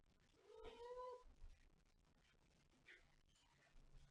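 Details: A single quiet, slightly rising meow from a cat, lasting under a second, followed by soft thumps and low background hiss.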